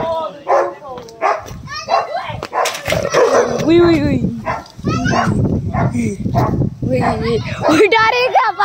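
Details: Angry dogs locked in a fight, overlapping barks, snarls and yelps forming a dense, continuous brawl with only brief dips in loudness.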